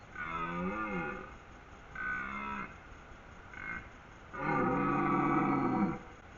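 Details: Red deer stag roaring during the rut in Haute-Savoie, France, calls announcing his presence and strength to hinds and rivals; four deep, harmonic, drawn-out roars, the last longest at about one and a half seconds, with faint background music.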